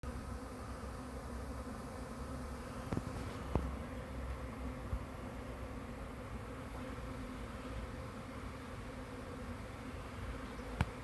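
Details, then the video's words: Bee swarm recorded on May 9, 2023, from about 20 feet away: a steady, dense, low droning hum with layered tones, constant throughout, broken by a few faint sharp clicks. "Bee Swarm"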